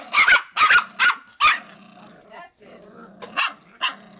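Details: Icelandic Sheepdog puppies yapping: four sharp high barks in quick succession, then a pause with soft whines and two more short yaps.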